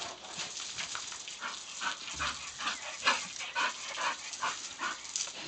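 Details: English bull terrier named Diesel playing and chasing a water hose, giving short excited vocal bursts about twice a second over steady hissing spray.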